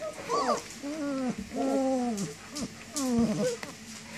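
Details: Nineteen-day-old German Shepherd puppies, up and moving around, whining for their mother: several tonal, falling and wavering whines in short bursts, with a person speaking softly in the background.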